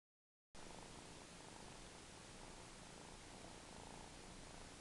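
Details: A domestic cat nicknamed a 'sucker' purrs steadily after a half-second of silence, a soft continuous rumble half-buried under strong even hiss for the rest of the clip.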